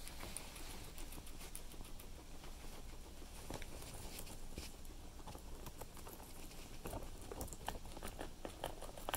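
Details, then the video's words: A guinea pig munches cilantro, producing continuous fast, crackly crunching with irregular louder bites scattered throughout, indoors and otherwise quiet. "Guinea Pig Cilantro"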